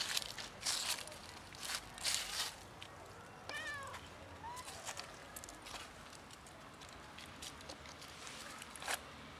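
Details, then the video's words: Black and ginger-white cats, once almost feral and now socialized, meowing to get food; one short, falling, harmonic meow sounds midway, followed by a brief faint tone, amid frequent sharp crackling and rustling clicks. "Black and Ginger-white cats meow and act cute to get food"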